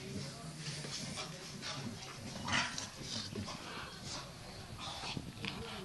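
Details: Two adult Staffordshire Bull Terriers and two tiny puppies playing roughly together indoors; low rumbling growls and short whiny yelps come and go, with scuffling and a voice in the background.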